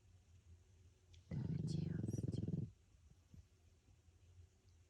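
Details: Sleeping pug snoring indoors, heard under whispering: one low, rattling, vibrating snore lasting just over a second, fast pulsed flutter, then quiet breathing and soft room hiss.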